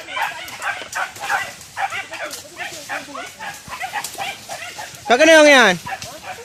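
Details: A village dog hunting wild boar on a traditional hunt with dogs and spears lets out one loud, drawn, arching yelp near the end, after a stretch of excited human chatter.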